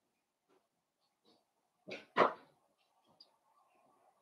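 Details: Indoor puppy pen where five blenheim Cavalier King Charles Spaniel puppies play with their mother Paris; two sharp, short yips close together at mid-clip, surrounded by soft scuffling and faint squeaks.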